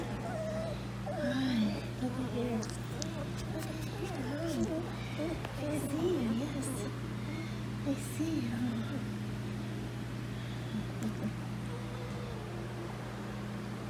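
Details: Poodle puppies from Denali Poodles, filmed 8-5-2019, whimper and squeal in short wavering glides that rise and fall, many overlapping through the clip, over a steady low electrical hum with faint speech.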